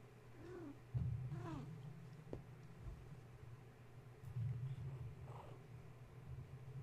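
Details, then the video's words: Young kittens of the cat Gaia, wound up at bedtime after a space heater was plugged in; two quick downward-curving mews near the start, a fainter one later, with a low purring rumble and room hum beneath. "Gaia's Kittens - Bedtime Wind Up"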